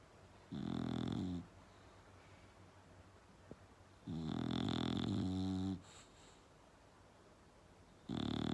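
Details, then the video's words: Bulldog snoring loudly indoors: three long, deep rumbling snores with a buzzy, harmonic rasp, separated by quiet breathing gaps of about two to three seconds. "Bulldog Snoring Loud"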